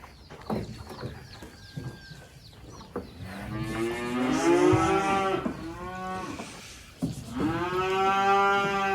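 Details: Black sacrificial cattle for Qurban, unloaded from a truck after arriving from an inland farm in Indonesia; soft chirpy squeaks and clatter lead into two long bellowing moos, the first wavering, the second steady, with music faintly behind.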